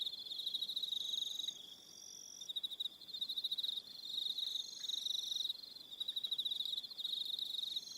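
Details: Crickets on Aroha Island, New Zealand, singing at dusk: continuous shrill, finely pulsed trills from multiple insects, swelling and easing in bursts every second or two.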